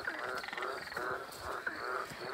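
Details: A loud frog chorus of overlapping, rapidly pulsed croaks at the edge of a farm dam filling with runoff after rain, with a man talking over it.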